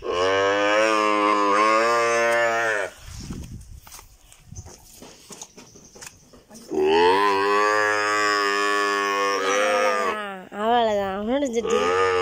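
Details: Calf having a nose rope tied; two long, loud, strongly harmonic bawls, each about three seconds, separated by a quieter gap of rustling and handling noise, the second ending in wavering, broken cries.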